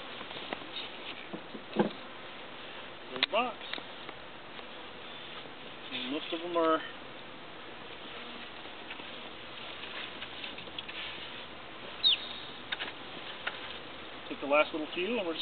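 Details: Honeybees from a transport package, checked four hours after installation, moving into a new hive; a steady low insect hum runs throughout, with short bursts of speech rising over it and a few thuds of handling.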